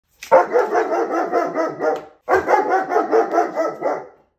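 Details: Male German Shepherd guard dog protecting his home: two loud, harsh bursts of rapid pulsing barks, each about two seconds long, separated by a brief pause, with no other sounds.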